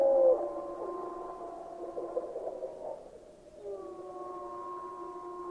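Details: Gray wolf pack chorus from Yellowstone National Park, softer and more distant, with faint overlapping drawn-out howls that pause briefly and then return as a steady blend of tones.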